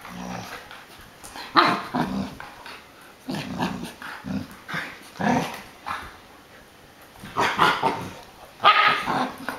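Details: Adult female American Akita playing with her new little brother, a puppy, at home: bursts of rough, rumbling growls and short gruff vocal snarls come in uneven clusters, loudest near two, five and nine seconds, with quiet gaps between.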